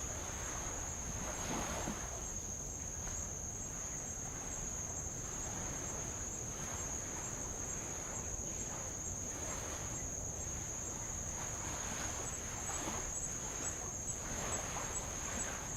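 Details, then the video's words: Tongan insects along the old lava coast of Avalau, Kingdom of Tonga, make an even, piercing high drone throughout, with light waves lapping and hissing repeatedly beneath it during a row around the island. "sound of light Waves on old lava and Insects"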